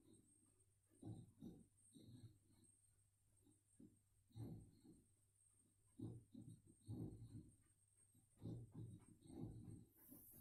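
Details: Boxer dog, a female heavy sleeper, snoring loudly while asleep and dreaming indoors, caught on a mobile phone: low rasping snores in bursts every second or two, with a faint steady hum behind.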